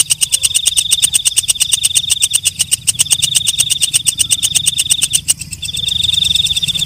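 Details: Walang kecek, a night grasshopper, calling at night: a fast, dry ticking of sharp pulses, several per second, over a steady high whine that breaks off briefly near the end and resumes. Faint low hum underneath.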